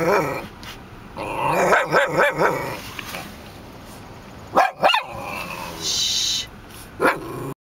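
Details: Dog barking at buffalo it sees in Custer State Park, outdoors; bursts of sharp harmonic barks and yips near two seconds, then isolated loud barks around five and seven seconds, with background hiss.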